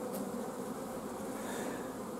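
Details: Continuous buzzing of a honey bee family in a hive at the apiary, filmed 14 June 2016. Scarce forage has forced the colony to stop its queen laying. The drone stays level and unbroken, with a faint brief tick near the start.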